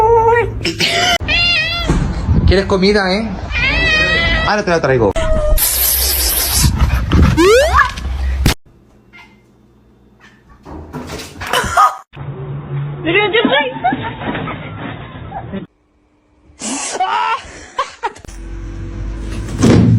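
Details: Kitten meowing in a funny pets compilation: a run of short, bright, harmonic meows in the first five seconds, followed by abrupt edits, human voices, shrill squeals and a stretch of low hum.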